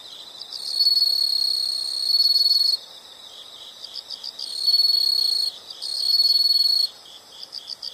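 High, shrill insect trilling in long buzzing bursts, with fainter chirping from other insects between.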